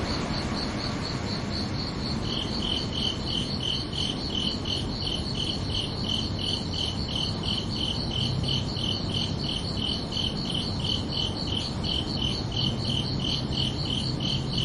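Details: At night on a summer evening, one cricket chirps steadily at a high pitch; after about two seconds a second, slightly lower chirping joins, both pulsing about two to three times a second over low background hiss.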